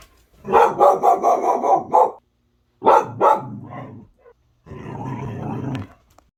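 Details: One-year-old female pit bull mix barking at a ceiling fan she has just discovered: a rapid run of about five harsh barks, a pause, two more sharp barks, then a lower, rougher growling grumble.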